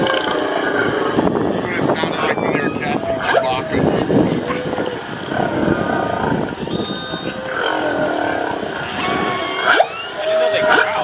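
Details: Whales off Maui recorded by a hydrophone dropped from a dive boat: drawn-out moans, long whistles and squeaky, high-pitched rising squeals underwater over a steady boat engine hum.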